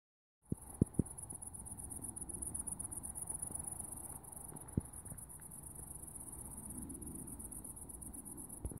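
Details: Grasshoppers in late summer along fields in Norway after a wet, cool summer; a steady, high, pulsing buzz runs continuously, with faint low rumble and a few soft clicks.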